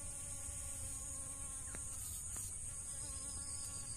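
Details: Honey bees foraging on dragon fruit blossoms give a continuous low buzzing drone with faint steady overtones, under a constant high hiss, with two short sharp clicks partway through.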